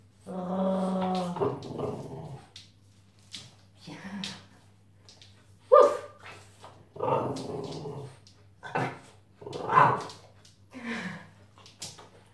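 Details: French Bulldog indoors during introductory "Do as I do" imitation training: a long, even, harmonic moaning note opens, followed by a series of short rough growls and bark-like bursts, with a steady background hum.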